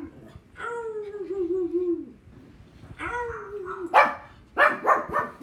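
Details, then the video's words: Pug Thor answering dogs barking on TV: two long wavering whine-like tones come first, then a burst of several sharp, harsh barks at the end. "My pug Thor barking"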